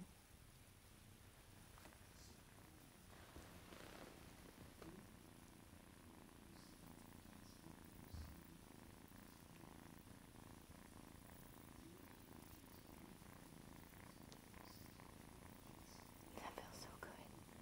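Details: Silver mc tabby tuxedo female RagaMuffin kitten from Godiva purring, a soft, steady low rumble held throughout, quiet beneath a faint hiss of background noise.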